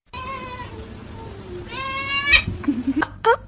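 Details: Domestic cat giving two drawn-out, harmonic meows that slowly fall in pitch, followed by a few short, higher chirp-like mews near the end, over faint background music.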